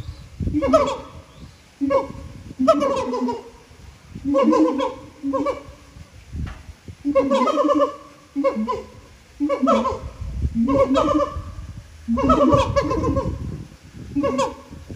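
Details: Siamang song recorded at Japan Monkey Center, throat sacs making the calls enormously loud: a steady series of loud, ringing hoots with swooping pitch, repeated roughly every second, with some low rumble between calls.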